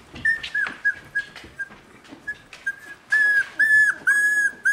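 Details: Three-week-old Border Collie puppies whimpering: soft scattered clicks and faint cries at first, then from the third second loud, clear, high tonal whines held level, each about half a second long, repeated in quick succession.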